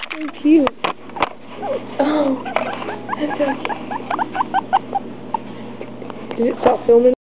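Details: A baby guinea pig, on the floor for the first time, squeaks steadily with short rising chirps and lower squeals, plus a few handling bumps; it also does this sometimes when petted, and the owner is unsure whether it means it likes it.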